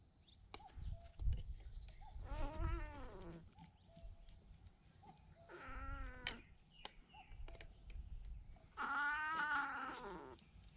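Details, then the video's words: Cat hurt in a fight with an intruding stray cat, being treated for its injuries; three drawn-out, wavering meows with rich harmonics about three seconds apart, over low background rumble, scattered clicks and faint bird chirps. "침입한 길고양이와 싸우다 다친 고양이 치료"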